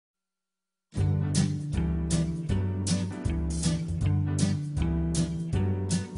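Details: After a brief silence, strummed guitar music with a steady rhythm plays to the end. No animal voice can be picked out.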